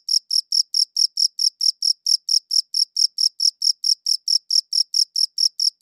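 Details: Cricket chirping, recorded with a good audio recorder: a clean, steady train of high, bright pulses, roughly four per second, with no other sounds and a silent background.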